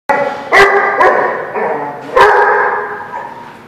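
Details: Dog barking at The Barking Lot, recorded 1/6/17: three loud, sharp barks with rich harmonic stacks, the first two half a second apart and the third after a pause, each trailing into a sustained, echoing, slightly whining tone.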